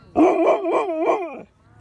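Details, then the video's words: Winston, a dog who grew up with Nevaeh, tells his owner off after being told to get down, sick and tired of his owner's antics: one drawn-out, wavering, howl-like moan, rising and falling in pitch for over a second. "Tells Me Off"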